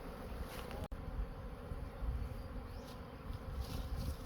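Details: Honey bees at a Khmer farm during a honey harvest by local farmers, giving a steady, low droning hum that stays continuous throughout, with faint rumbling handling noise and a brief click near the start.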